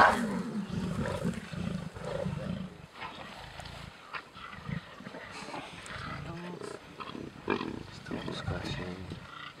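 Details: Lions on a kill during a safari game drive at Sabi Sabi Private Game Reserve: low, rasping growls open the recording, then fade to softer rumbles while people talk quietly nearby.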